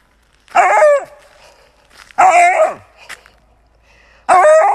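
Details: Siberian Husky from a funny pets compilation, uttering three short, wavering howl-like cries, each under half a second and falling slightly in pitch, separated by quiet gaps of over a second.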